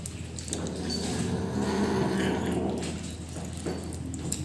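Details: Rescued pet kitten growling while eating its food, a low rough harmonic rumble swelling for about a second indoors, with faint clatter and room noise around it.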